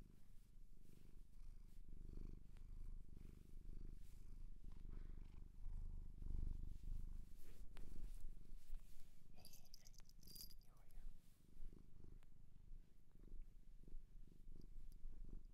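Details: Long, unbroken purr from a shelter cat adopted in Japan, deep and thrumming with gently rising and falling intensity, interrupted briefly around the middle by a short bright scratching or rustling noise.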